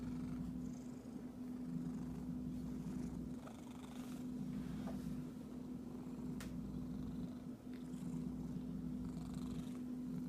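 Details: A pet cat purrs continuously in a deep, even rumble for about ten seconds. A low steady hum sits beneath it, and a few faint clicks or scratches break in now and then.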